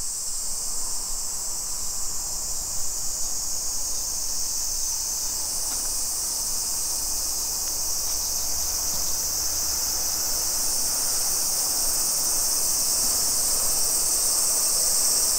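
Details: Continuous high whirring of cicadas along residential streets in Nisshin, Aichi Prefecture, Japan, 2 PM, 28 July 2021, summer; the droning chorus swells slightly toward the end, with light low background hum.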